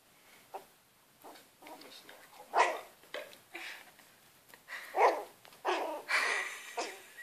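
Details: Shetland Sheepdog puppy facing a cat, letting out short, high, yelping barks, the loudest near the middle and again toward the end, with softer yips scattered between and human voices talking alongside.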